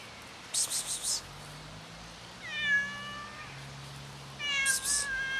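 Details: A hungry cat waiting for its owner gives two drawn-out, harmonic meows, the second rising then falling, with sharp rustling bursts between them and a low background hum.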